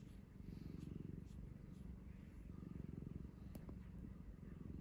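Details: Sleeping house cat Chii, taken in long ago, rests on a lap while being petted; a deep, fast, regular rumble runs continuously with soft pulsing beats and a few light rustling clicks from phone handling.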